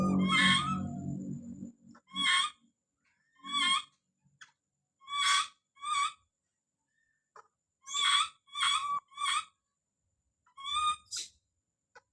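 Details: Don, a baby monkey, calling out with sharp piercing screams in short bursts separated by pauses. A loud, low rustling noise at the start gives way to quieter gaps between cries.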